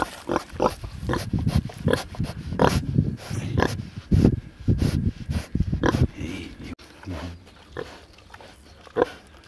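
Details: Large black Hampshire pig on a farm among sheep in Cerreto Guidi, Tuscany, Italy, making a rapid series of short, low, rough grunts for about six seconds, then a few quieter, sparser grunts.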